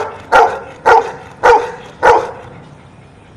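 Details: Dog answering a counting question with four loud, abrupt barks spaced about half a second apart, then silence.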